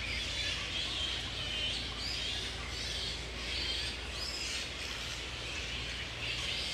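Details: Breeding-season colony of grey-headed flying foxes, wild at Woodford, Australia, in mid-April, mating pairs roosting. Irregular bursts of shrill screeching and squeaky chatter recur over a dense high-pitched background.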